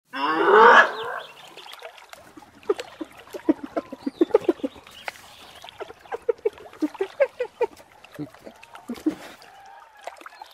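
A hyena gives a loud harsh whoop, then a long run of quick, choppy giggling notes.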